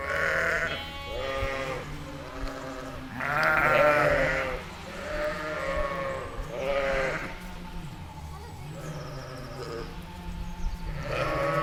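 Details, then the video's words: Sheep, a ewe and her lamb, in a meadow, bleating again and again: a long series of quavering calls of varying pitch and loudness, with brief gaps, over a faint low drone. "Efeito sonoro de ovelha e cordeiro em uma campina"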